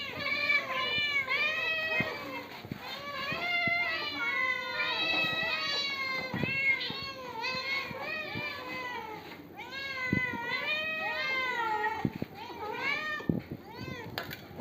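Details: A Bangladeshi cat given milk meows almost without pause, with many overlapping, rising-then-falling meows and a few drawn-out wails, in a small indoor room.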